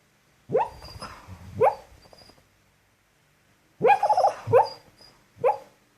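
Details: Pet dog, a female, barking in her sleep: two bursts of soft, muffled woofs, two or three sharp yips each with breathy tails, a silent gap of over a second between bursts.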